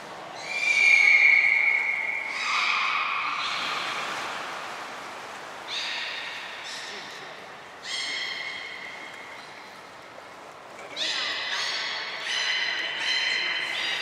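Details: Belugas Hodoi, Taanya and Mirai in captivity at Port of Nagoya Public Aquarium, Japan, 23 February 2021, moved between pools and trained; bright, high harmonic whistles in separate bursts, one strong squeal near the start, then shorter rising and level calls.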